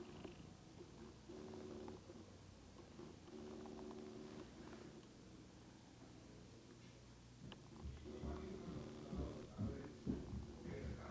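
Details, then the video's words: House cat, getting sleepy, purring into a Lumix GH2 camera: a low throbbing purr in rhythmic surges with a lull midway, then louder rustling and handling sounds in the final seconds. "Cat Daisy Purring"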